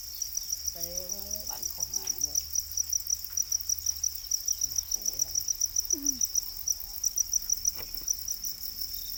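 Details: Domesticated para crickets, also called black crickets, kept as farmed insects; a steady train of high, sharp chirp pulses, roughly four to five per second, runs throughout, with faint human speech in the background.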